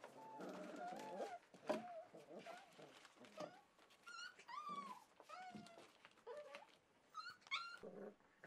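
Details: Four-week-old Welsh Springer Spaniel puppies at a kennel on 9 March 2011 give overlapping high whines and squeaky yelps, some rising then falling, amid rustling movement and faint speech.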